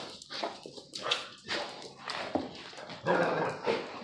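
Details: Playful scuffle as a kangal bloodhound mix pup and a Presa dane mix aggravate the old lurcher terrier mix; short yelping barks and whimpers come in quick irregular bursts, with faint voices behind.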